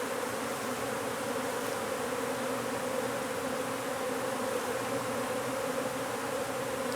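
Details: Even, unbroken hum of many honey bees as a hive is relocated from under a wood pile in McAllen, Texas, the drone steady in pitch throughout with no other clear sounds.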